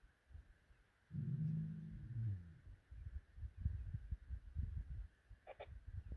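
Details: A lion at iMfolozi gives a deep, drawn-out moaning roar that falls in pitch at misty dawn, followed by a run of low grunts.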